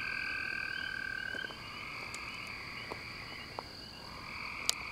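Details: Frogs with male and female calls, a thick chorus of trilling and croaking; a clear steady tone runs for the first second and a half, then layered pulsed trills continue with a few sharp clicks.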